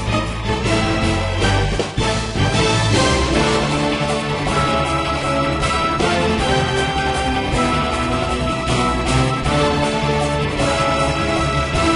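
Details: Upbeat, steady instrumental music with driving beats plays throughout, with no animal voice.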